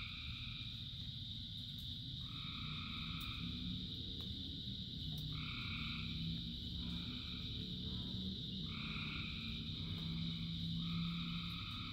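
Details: Frog chorus during rain, with repeated two-toned nasal calls every second or two, a constant high drone, and low humming croaks beneath the heavy rain noise.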